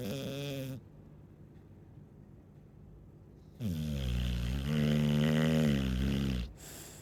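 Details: Deep, grunting snores from a sleeping Chow Chow: a short rumble, a silent gap, then a long, loud, rising and falling rattling breath of nearly three seconds.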